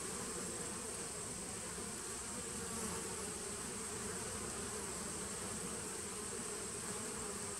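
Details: Honey bees in a 2017 nucleus colony, recorded 19 September 2018: a steady, dense droning hum with low tonal bands and a constant hiss above, unbroken for the whole stretch.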